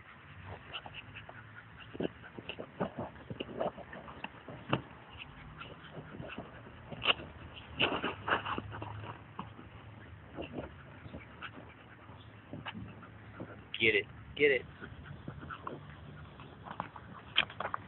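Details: Lassie, a Scottish Terrier, plays with a ball amid steady tapping and scuffling. Brief whining squeaks appear, with a clearer pair of high whimpers near the end. A person repeatedly calls "get it" throughout.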